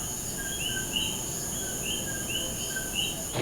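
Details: In the evening at a fort in Old San Juan, Puerto Rico, common coquis call in a chorus, short whistled notes overlapping over a steady insect hum.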